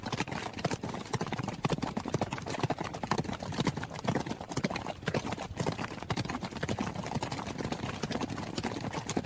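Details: Hooves of a running horse pound steadily, a quick stream of crisp knocking strikes overlapping in a loose, driving rhythm, even in loudness throughout and free of other sounds.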